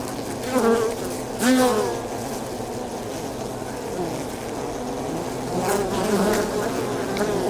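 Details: Inside a honey bee hive: a thick, constant buzzing hum, with two short louder surges near the start where the pitch briefly bends, then settling into an even drone.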